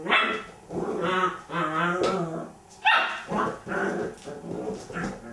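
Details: Young Border Collie, a puppy at play with its toy hippo, letting out a run of about six rough, harmonic barks, roughly one a second, with some grumbling between them.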